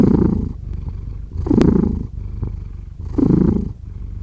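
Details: A cat purrs in slow waves, each deep rumbling swell lasting about half a second and returning roughly every one and a half seconds, with a softer rumble in between.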